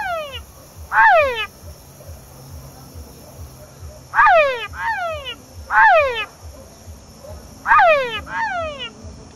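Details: Calling male Engystomops pustulatus in La Mana, Cotopaxi, Ecuador, giving strong downward-sweeping whine calls, single or in quick pairs, spaced roughly two seconds apart, with constant high insect buzz and low rhythmic background thumping.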